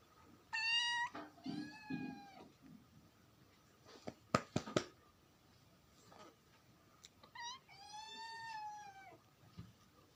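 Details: Kitten meowing indoors: three clear high, drawn-out meows, the first two close together near the start and a longer one later, with a few sharp clicks and faint rustling between them.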